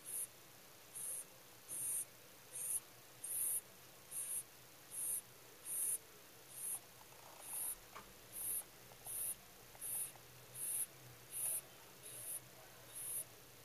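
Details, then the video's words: Pet rabbit sleeping soundly, snoring with a 'soo-pee' rhythm: a steady run of about seventeen short, high, hissing breaths, one roughly every 0.8 seconds, over a quiet room. "うさぎのいびき 爆睡中"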